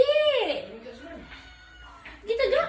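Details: A Khao Manee cat, a talkative pet that vocalises when it comes to cat food, gives a loud descending meow that starts high and slides down, then a second rising meow near the end, with household speech around it.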